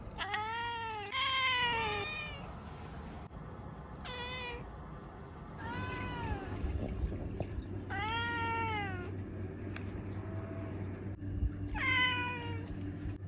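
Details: Repeated meows from Ciel, a black female house cat aged seven, indoors in Japan; about six rising-then-falling calls spread over the stretch, some short, some drawn out, over a steady low hum of room noise.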